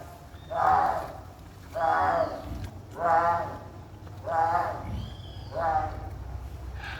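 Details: White-lipped peccaries at a zoo give five harsh, voiced grunting calls, each lasting about a second and repeated roughly every 1.2 seconds, over a low, steady background rumble.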